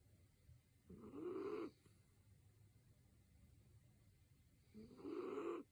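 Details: A sleeping miniature dachshund gives two long, rasping snores about four seconds apart, each with a buzzy, slightly rising nasal tone over a soft, steady background hiss.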